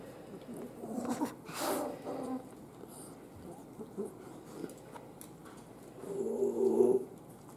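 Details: Miniature Schnauzer puppies wrestling together indoors on a mat. A short broadband burst is followed later by a louder, low, harmonic growling whine lasting about a second, with soft rustling and faint household noise between.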